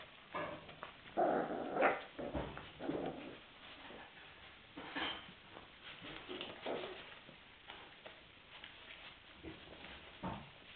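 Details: Hungry puppies whimper and yelp in short, irregular bursts, loudest early on and then softer, scattered squeaks over steady indoor background noise.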